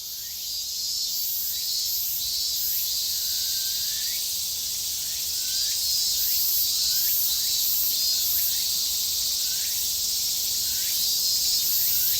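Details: Three cicada species, Graptopsaltria nigrofuscata, Hyalessa maculaticollis and Meimuna opalifera, fill the air with a dense, high, sizzling drone, with short rising notes repeating over it.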